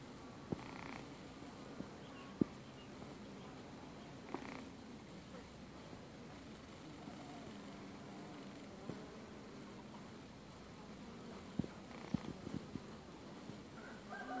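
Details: Honey bees feeding on sugar water give a low, steady droning buzz, a soft hum from many wings at once.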